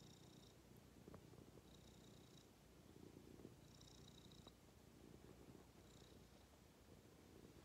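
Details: Domestic cat resting contentedly on its owner's lap, a soft low purr rising and falling in breathing cycles, with faint clicks of movement.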